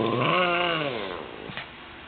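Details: A one-year-old female Lhasa Apso, prompted by her owner to sing Happy Birthday on 16 June 2007, gives a drawn-out, wavering howl that slides gently downward and fades within a second.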